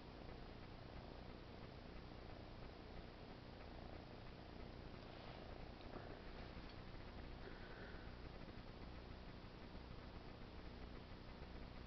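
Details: Pet cat giving a soft, even purr, a deep rumbling drone that keeps going without a break, with faint brief rustling around the middle.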